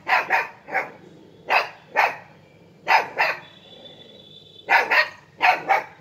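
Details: A 50-day-old Siberian husky puppy, fighting with a monkey, gives sharp, harsh barks, often in quick doubled bursts, repeated about once a second.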